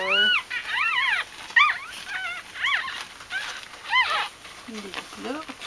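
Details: Bichon Frisé puppies in a litter giving scattered high, thin whining squeals, short rising-and-falling cries with pauses between them and a faint low whimper near the end.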